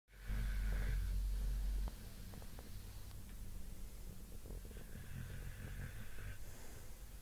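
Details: Sleeping, dreaming bulldogs snore: one loud, deep, rumbling snore of about a second and a half, followed by a steadier, quieter low rumble of breathing with a faint hiss above it.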